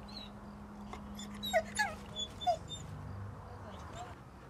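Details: Female dog impatiently avoiding a male dog who wants to play, giving a few short high whimpering yips in a quick series of about four, over a low steady background hum.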